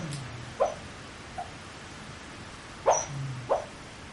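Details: Dog mumbling in its sleep, recorded up close with a PowerShot SX30 IS camera: a few soft, short yips and muffled squeaks at uneven intervals, with faint low grunting sounds between them in a quiet room.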